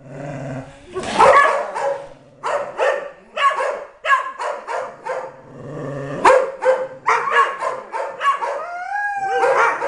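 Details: Tyson, a three-year-old Dobermann, in happy bursts at home with his sibling Blanca, a Border Collie mix and a Belgian Malinois: harsh barking yelps that break into sliding, yodel-like tones, several short bursts in quick succession, ending on rising whine-like notes.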